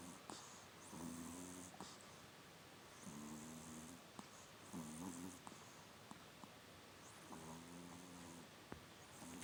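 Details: Mikkun, a pet Chihuahua, asleep and snoring quite loudly indoors: low, buzzy, droning snores come in four drawn-out bursts about every two seconds, with breathy hiss and faint clicks between them in a quiet room.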